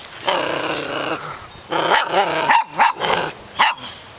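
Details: Puppies playing and tussling, giving a long rough growl that breaks into a series of rising-falling yappy barks and whines, several short bursts in quick succession; a person talks nearby.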